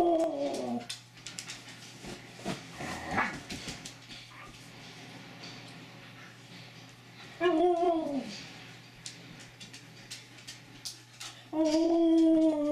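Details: Mishka, a female Siberian Husky known as a talking husky, gives three drawn-out, whining 'talk' vocalizations: one at the start, one midway and one at the end. Each is harmonic and slides downward in pitch, with soft clicks and shuffling between.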